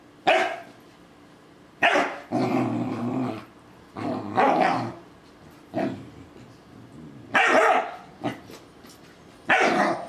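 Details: Doberman puppy attacking a talking ball and a stuffed toy dog, letting out harsh barks mixed with rough, drawn-out growling in bursts every one to two seconds, with short quiet pauses between.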